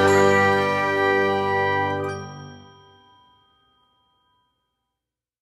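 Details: A single bright bell-like ding rings out and fades slowly to silence over about four seconds.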